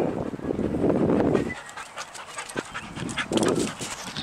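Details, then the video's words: Sadie, a pet dog, excited and jumpy over an unseen squirrel, panting in quick breathy bursts, with a dense rush of breath for over a second, then shorter gasps and a brief thin whine. "Sadie Gets Excited and Jumpy for an Unseen Squirrel"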